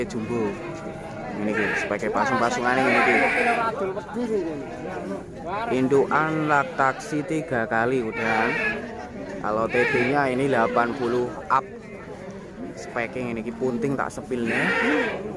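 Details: Bleats from Bligon semi Jawa Randu breeding goats, male and female stock in Java, Indonesia: several shaky, vibrato cries break through nearly constant human chatter and talking close by.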